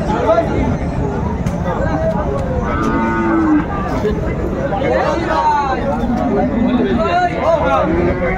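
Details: Friesian and cross-bred bulls and calves at Amabari cattle market, Dinajpur, on 19 April 2024. A few short, low, tonal moos rise through a loud crowd of bargaining voices and general market chatter.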